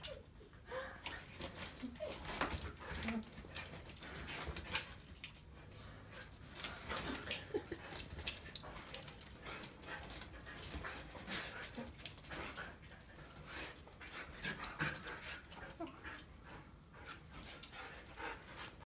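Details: Siberian Huskies (Canis lupus familiaris) trade soft whines, snuffles and grumbling noises while flirting, courtship between dogs with a litter expected at the end of June 2021.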